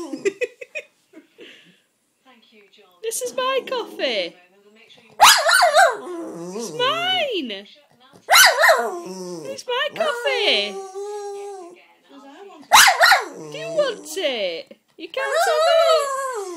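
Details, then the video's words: Jack Russell terrier named Pennie, a pet indoors, telling her owner off because she wants the coffee; drawn-out whiny howls and grumbling yowls in bursts with pauses, mixed with a woman's talking and some music. "Pennie telling me off because she wants my coffee"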